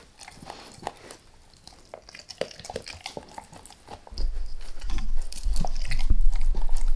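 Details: Max, a dog, goes after a beef rib with no speech: quiet scattered gnawing clicks at first, then louder crunching bites over a deep low rumble in the second half.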